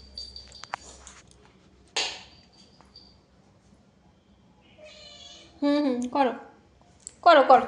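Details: Domestic cat meowing indoors: after a quiet stretch with faint clicks and rustles, two short descending meows come close together, then a sharper, louder rising-falling meow near the end.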